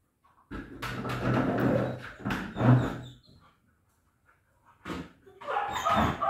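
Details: Kuvasz dog during socialisation training, giving loud, rough, harsh barks that run together for about three seconds, then a silent pause, then a shorter burst of higher, whining-toned vocalising near the end.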